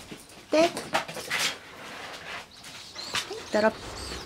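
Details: Four-month-old Border Collie, 127 days old, playing under the eaves before an evening walk; two short, sharp harmonic barks half a second and three seconds in, with a person speaking between them and faint rustling.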